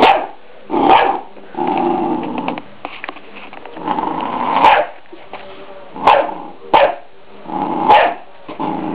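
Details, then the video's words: A three-month-old pet Scottish Terrier barks at a deer skull, guarding its owners from a feared attack: a series of loud, sharp barks mixed with growly rumbles, about seven bursts spaced roughly one second apart. "scottish terrier (buen vigilante)"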